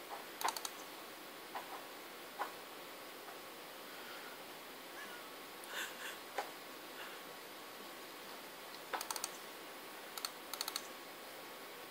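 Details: Quiet room with scattered computer keyboard clicks and mouse taps, and no animal voice.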